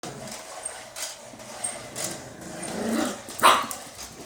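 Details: A small pet dog barking at a robot dog: sharp, short barks about once a second, the loudest near the end, over a low indoor hum.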